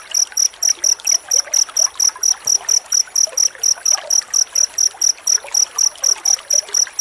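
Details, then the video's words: Crickets chirping densely as tutor sound for white-rumped shama: bright, high, evenly spaced chirps repeated several times a second, with faint background rustle. "Suara jangkrik rapat untuk masteran murai batu"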